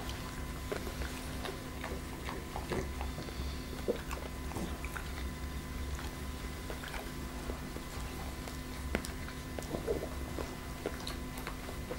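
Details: Irregular sharp clicks and chewing-like ticks over a steady electrical hum in a small room, with no animal voice.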